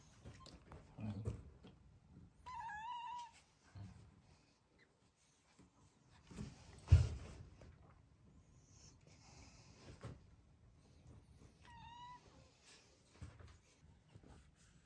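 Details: Black female cat with a congenital heart condition, kept indoors after rescue as a kitten, offering a farewell greeting: two faint wavering meows about nine seconds apart amid quiet room noise and a dull thump.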